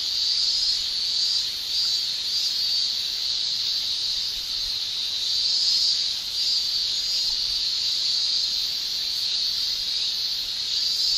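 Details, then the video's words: Steady high-pitched shrilling of summer cicadas in Japan, a thick continuous buzz with only slow, gentle rises and dips in volume. "Japan Summer Cicada Shrilling"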